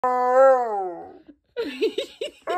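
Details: Husky giving a drawn-out, wavering howl-like whine that rises slightly and then slides down for about a second, followed by a quick run of short, yelping, talkative yips; a person laughs afterwards.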